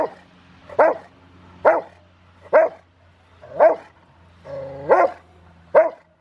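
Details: Seven harsh, resonant barks from River v Schwarzerwald, a trained five-year-old male Rottweiler trialing for his ZTP, recorded January 20, 2020, spaced about 0.8 seconds apart, one drawn into a short growl-like bark, with a low hum behind.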